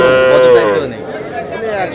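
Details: Sahiwal bull calf at a busy cattle market where calves are sold in pairs: a sustained, tonal, slightly falling call lasting about half a second, then fading, with people talking close by throughout.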